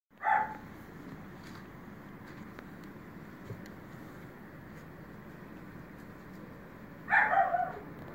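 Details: A dog gives two short, sharp barks, one at the start and one about seven seconds later, with a low steady hum filling the quiet between them.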